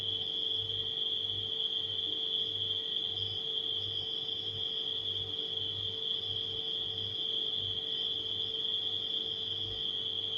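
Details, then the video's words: A continuous shrill shimmer of nighttime crickets runs without pause, while a refrigerator's steady drone and a faint rhythmic low thrum sit beneath it. "Crickets & Refrigerator Humming Sound"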